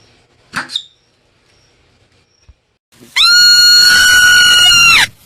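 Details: Marmot giving a brief double chirp, then after a pause a long, loud, steady scream lasting about two seconds, harsh and strongly harmonic, ending abruptly.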